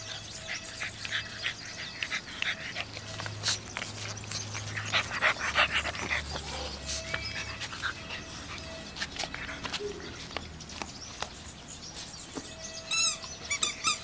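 An English Bulldog puppy pants and snuffles in quick, uneven bursts, with a few high squeaks near the end.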